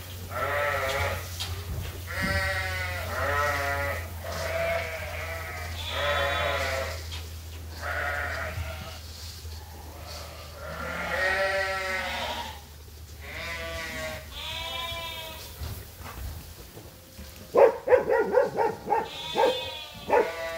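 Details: Farm sheep and lambs waiting for their feed during daily feeding chores. Many overlapping, quavering bleats follow one another in quick succession, some higher and some lower, over a steady low hum, with sharp clattering toward the end.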